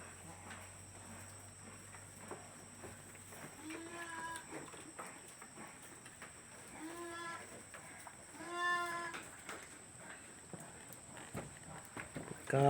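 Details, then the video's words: Farm goats after drinking water, a few wavering harmonic bleats around four, seven and nine seconds in, over low background noise and faint talking. "mga kambing namin"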